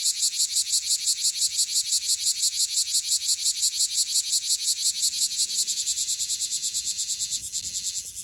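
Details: Bear cicada (Cryptotympana facialis) in Okinawa, Japan, calling close up: loud, harsh buzzing pulses repeated about three times a second in a steady driving rhythm, slightly slowing and fading toward the end.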